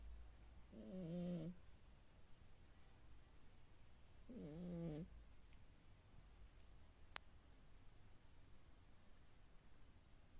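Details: Cat snoring like a hefty man: two buzzy, wavering snores about three and a half seconds apart, then quiet breathing noise and a single sharp click.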